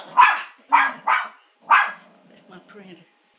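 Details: Maltipoo named Molly barks at an oil portrait of a grandfather; four loud sharp barks in quick succession, the middle two close together, then faint soft whimpers trailing off.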